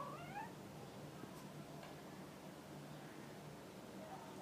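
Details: Domestic cat giving one short meow in the first half second, a rising, then falling, nasal tone with clear overtones, followed by near silence with a low steady hum in a quiet room.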